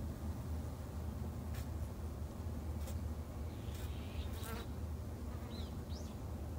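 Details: Japanese honey bees hum in a backyard apiary in Japan, run by a beginner keeper. The drone stays low and even throughout, with a few sharp clicks and a faint distant bird note near the end.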